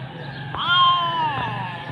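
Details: Kitten asking for food: a long, clear meow that climbs quickly, holds, and sinks gently at the end, with a few knocks and a person's reassuring voice in the background.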